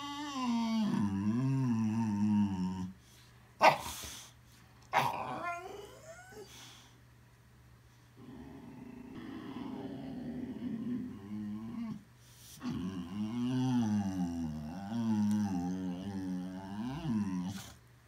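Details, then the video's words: Boxer dog making funny sounds: wavering growl-moans that bend up and down in pitch, interrupted by a few sharp clicks or knocks, a quieter noisy stretch, then more undulating grumbles to the end. "Boxer Dog makes Funny Sounds"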